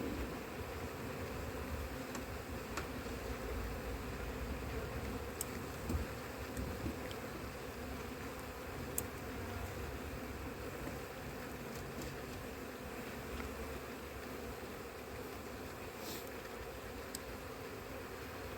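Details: Crowded honey bee colony examined frame by frame for eggs and a missing queen after failed matings in cold weather; dense continuous buzzing drone with occasional sharp clicks from handling.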